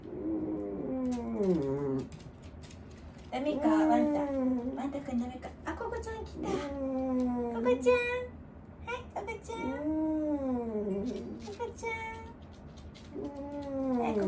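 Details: Wanta, an old dog in care who calls out and flails his legs while awake, moans repeatedly indoors, with long wavering arcs of sound that rise and then sink, one after another with short gaps between them.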